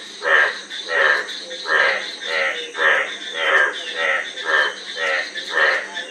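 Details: Frog croaking in a steady series of harsh, pulsed notes, each lasting about half a second and repeating roughly every second, with a faint constant high hiss behind.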